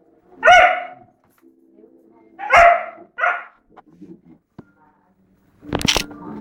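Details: Doberman kept at a home in Hanoi, giving three loud, harsh barks in about three seconds, then quiet with faint rustling and a sharp clatter near the end.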